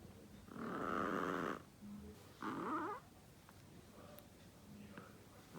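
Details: Pet Chihuahua snoring indoors: two loud, rasping, drawn-out snores, the first about a second long and the second shorter, separated by quiet breathing in a calm room.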